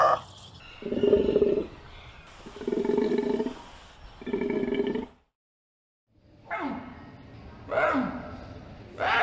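An Indian leopard gives three rough, throaty roars about a second each. After a brief silence come shorter rasping calls that drop in pitch.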